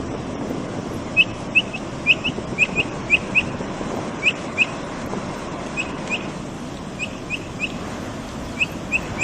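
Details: Chirping from a Brazilian capybara while feeding. Sharp, brief peeps are scattered in small groups of two or three across the whole stretch, set against constant hissing background noise.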